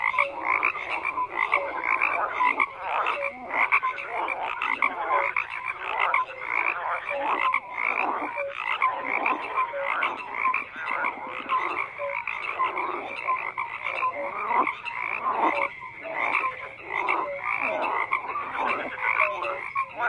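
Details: Many frogs croak together in an unbroken chorus, a dense wash of rattling, pulsed croaks with occasional short tonal notes, the volume pulsing up and down in waves throughout.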